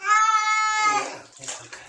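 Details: Distressed kitten being bathed gives a sustained, bright meow that fades out into splashing water and faint voices.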